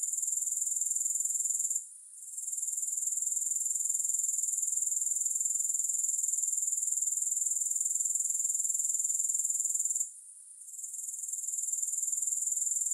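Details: Grasshoppers chirring in a calm, music-free recording: a piercing high, even trill with a rapid regular pulse, fading out twice for a moment around two and ten seconds.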